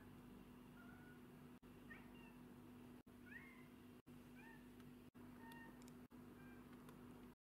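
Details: Black and white domestic cat producing a string of short meows, several with sweeping upward-then-downward pitch, broken by frequent abrupt cuts, with faint clicks and a steady background hum.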